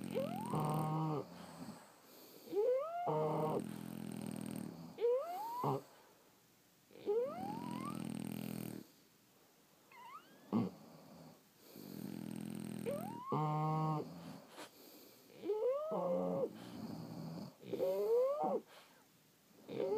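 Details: French Bulldogs sleeping and snoring irregularly: rising nasal whistles alternate with throaty, rattling low snorts and occasional quick pulsing breaths, sometimes overlapping as if from more than one dog, over twenty seconds.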